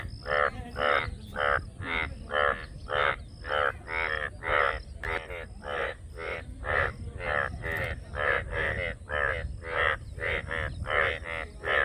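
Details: A frog gives a long, rhythmic run of grating, pulsed croaks, about two per second, loud and rasping and closely spaced. A thin, steady high-pitched hum persists in the background.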